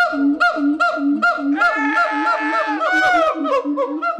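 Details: A gibbon gives a steady string of low hoots about every half second, then breaks into a dense rising and falling wail with overlapping higher notes before the hoots return.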